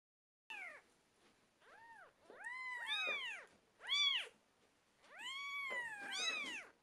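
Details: Twelve-day-old British Shorthair kittens calling indoors: high, arched mews overlap as several voices rise and fall together, with brief quiet gaps between bursts.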